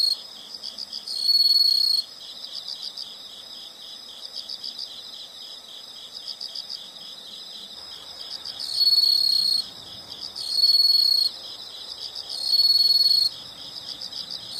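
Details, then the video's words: Insects in a nature soundscape: a steady pulsing chorus of high chirps, broken every second or two by louder sustained buzzing trills lasting about a second, with no other clear sounds. "the sound of insects"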